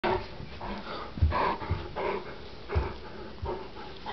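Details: Yorkie and Great Dane, two pet dogs, fighting over control of a chew bone indoors; short rough bursts and low grunting growls in uneven spurts, with scuffling and a person joining the play fight.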